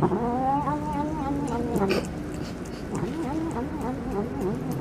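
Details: Hungry cat eating fish by itself and refusing to share its food with its mother: long wavering, harmonic-rich yowling and growling tones that rise and fall continuously, with small clicks of eating in the background.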